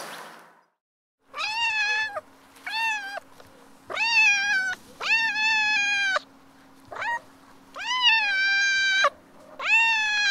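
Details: Cat in heat calling to attract a mate: insistent, fairly level yowls repeated roughly every second, each rich in harmonics, over a constant low hum.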